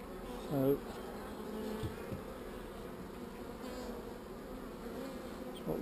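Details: Honey bees, called not so angry, humming during a hive inspection with a single swarm cell; a low continuous buzz runs throughout, with a brief human voice near the start.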